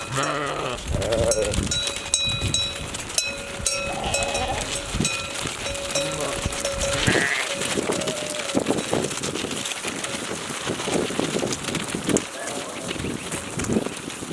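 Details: Flock of sheep arriving, recorded live on a Canon camera while waiting for the flock; scattered bleats over a dense wash of bells ringing, shuffling hooves and rustling noise, with a steady tone from the bells throughout.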